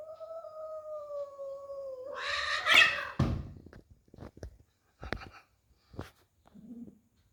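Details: Cat fighting, given as angry: a long wavering yowl held steady near one pitch for two seconds, then a harsh broad hiss or spit, followed by scattered clicks and short bumps and a faint low murmur at the end.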